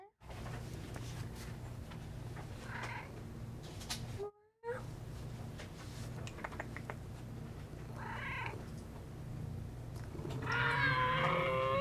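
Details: Friendly cat that wants to talk, giving a few soft meows around three and eight seconds, then a louder, drawn-out harmonic meow at the end, over a steady low hum.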